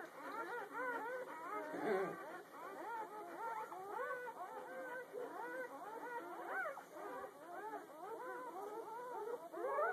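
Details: Day-old puppy litter, the morning after whelping, keeping up a constant busy chatter of short, high, bent squeaks and thin whines from several pups at once, with no let-up across the stretch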